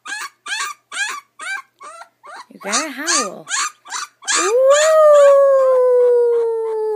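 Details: Ten-day-old puppy crying in a string of short, high, rising-then-falling yelps, then breaking into one long steady howl that slowly sinks in pitch over about three seconds.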